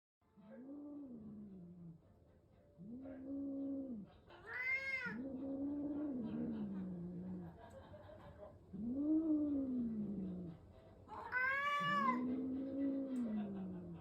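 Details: Adult domestic cats being introduced, a new cat brought home to another: drawn-out, low moaning yowls rising and falling, repeated in long bouts, broken by two sharper, higher wailing cries, with quiet gaps between.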